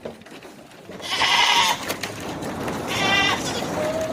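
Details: Barbari goat at a farm in Runakta, Agra: two strong, quavering bleats, each lasting under a second and a couple of seconds apart, over steady farmyard background noise.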